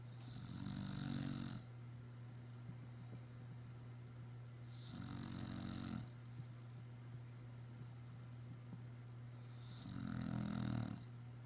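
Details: An English Bulldog, tired after a busy day running around outside, snores in deep, rattling bursts, each lasting about a second, roughly every four to five seconds.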